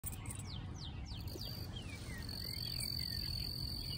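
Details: A cricket in its natural habitat, running away to hide, gives a thin, steady, high trill over a low rumble, with a few quick bird notes.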